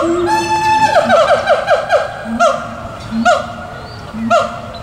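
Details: Siamangs at Tulsa Zoo on 4/2/17, at least two visible, calling and hooting: a held tone gives way to a rapid run of falling hoots, then single swooping hoots spaced about a second apart.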